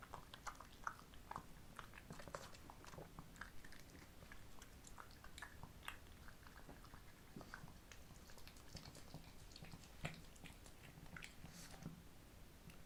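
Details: Homemade summer treats being eaten by pet female Shih Tzus, Ssamong (born 2015) and Jinsang (born 2017), in a small room: steady, irregular crunches and sharp bite snaps throughout, over a faint low background rumble.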